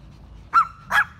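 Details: Chihuahua among eighteen pet Chihuahuas, aged six months to six years, sitting in a row in a garden in Bangkok, Thailand, on May 5: two short, sharp high yips about half a second apart over quiet background rumble.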